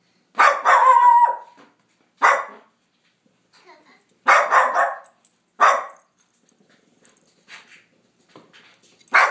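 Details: Pet dog barking at nothing: a long tonal bark with a falling whine, then single sharp barks spaced one to two seconds apart, each broad and bright, with quiet gaps between.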